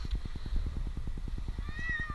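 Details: A single plaintive meow near the end comes from Jinx, the 8-month-old kitten trapped two nights in a Newark, Ohio tree, heard above evenly pulsing machinery noise during his rescue.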